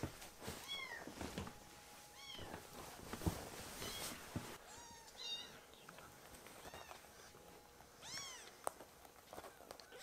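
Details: Foster-care rescued kittens Ashiro and Akuro meowing for milk: repeated thin, rising-then-falling mews, often in pairs, across the whole stretch, with rustling and a faint constant electrical hum indoors.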